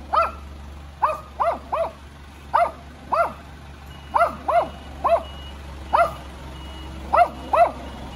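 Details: Little dog yapping at the sound of a neighbour's car: about fourteen sharp, high barks, often in quick pairs, spaced roughly every half second to a second, over a steady low hum.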